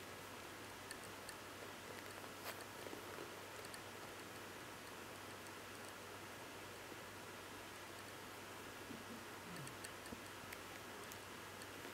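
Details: A very quiet room hiss with faint soft rustling and occasional tiny ticks.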